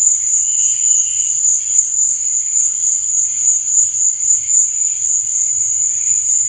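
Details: A nocturnal cricket chorus keeps up a constant shrill ringing, finely pulsed throughout, accompanied by faint, lower fluttering chirps that come and go.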